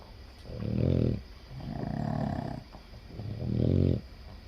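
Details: A Boston Terrier, one of seven sharing a bed, snores in its sleep in deep, rasping rumbles, each breath lasting about a second.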